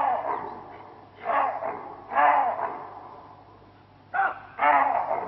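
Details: Chacma baboon, also called savannah or Cape baboon, in Kruger; hoarse, harsh barks in short bursts, several spaced a second or two apart, with a steady low hum underneath.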